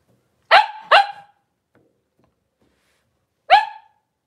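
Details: Indoor puppy pen with Cavalier King Charles Spaniels: mother Paris and her five blenheim puppies, born at New Year, on 26 January 2023. Two sharp barks in quick succession, a pause, then one more bark, each harsh and broad.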